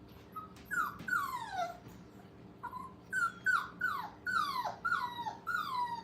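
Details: Five-week-old puppies at a training kennel, playing and having fun: a rapid run of high, sharply falling whimpers and yips, about a dozen in six seconds, some overlapping, over a steady low indoor hum.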